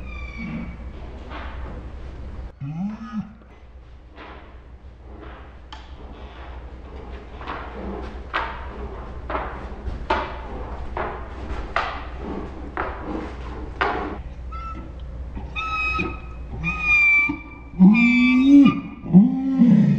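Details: Saint Bernard named Ours 'talks' in dinosaur-like sounds. A short rising-falling moan comes first, then a long stretch of scattered thuds and clicks. It ends with several loud, harmonic, swooping groans close together.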